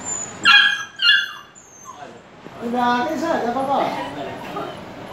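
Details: Two short, shrill yelps from a Dogo Argentino puppy about half a second apart, then a pause and people talking in the background.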